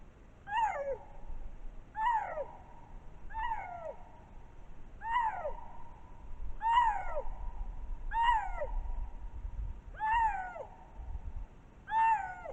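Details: A lynx captured by trail camera in spring in Matsalu National Park, Estonia, gives short, harsh, cat-like calls that fall in pitch, repeated about every second and a half.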